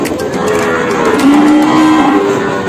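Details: Peranakan Ongole cattle, large jumbo animals, at the Kliwon livestock market in Kebumen, Indonesia, in the morning; low drawn-out lowing holds a steady pitch for about a second amid constant market hubbub.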